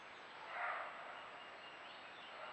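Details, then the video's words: A roe deer recorded by a camera trap gives a single short, hoarse bark against a steady background hiss; such barks are given when frightened or defending territory. "Fototrampeo. El ladrido del Corzo."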